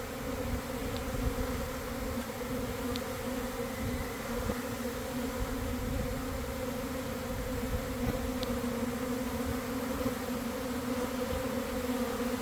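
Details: Sustained drone of a honey bee swarm in a garden on an early afternoon after a cold, wet week; an unbroken, even hum with a strong mid-pitched band, and a few faint clicks.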